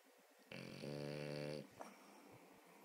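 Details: A French Bulldog snoring while asleep indoors: one long, rough, buzzing inhaled snore lasting about a second, followed by a short softer snuffle, then quiet room tone.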